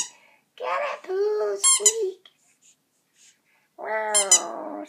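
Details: Pet Chihuahua named Poco, filmed in August 2014, answering a squeaky toy with sustained, quavering howls lasting over a second, punctuated by brief piercing squeaks from the toy.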